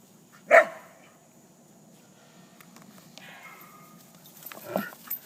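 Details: Dogs at play, one called Alea: a single sharp, loud bark near the start, then quiet with a faint hum, and a second rougher bark burst close to the end.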